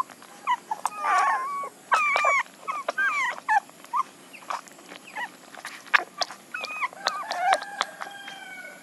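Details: Scattered puppy whines, short and high, rising and falling, interrupted by many sharp clicks and knocks over a hissy background.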